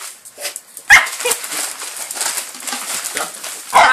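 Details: A male miniature Jack Russell named Fudge and a Jack Russell-Chihuahua cross named Foxy, both four years old, tear into Christmas presents indoors on 25 December 2012. Loud yelping barks at the start and end, with paper rustling between.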